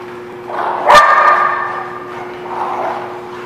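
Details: Dog recorded on 18 November 2017 giving a single loud, rough bark near the one-second mark, followed by a softer fading bark-like sound, over a steady low electrical hum.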